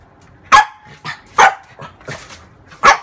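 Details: Female French bulldog barking at her mirror image during play: three loud sharp barks spaced about a second apart, separated by quieter, breathy yips.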